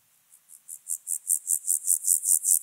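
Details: Alpine grasshopper at Obir, Austria, 30 July 2022, singing a crescendo series of hissing, high-pitched syllables, roughly five per second, starting faint and growing steadily louder.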